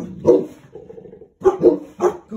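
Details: A young male Boerboel mastiff barking on guard duty alongside an older female Boerboel, joining in the household security. Deep, short barks in quick succession, a gap, then three more sharp barks, with faint growly rumbling between.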